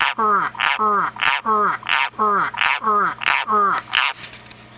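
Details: A large pet White's tree frog finally responds, giving a series of harsh, falling croaks, roughly one every two-thirds of a second.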